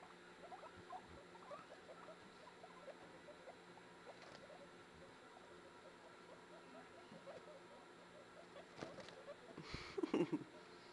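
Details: Newborn guinea pigs popcorning and following their mother indoors; soft, short low putts repeat rapidly and steadily through the recording, ending with a brief louder knocking burst.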